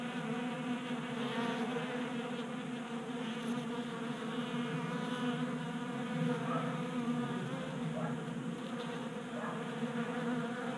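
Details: Honey bees on a garage workbench in Colorado in January feasting from a 3D-printed feeder; a thick, constant humming of many wings, with brief higher whines as individual bees shift position.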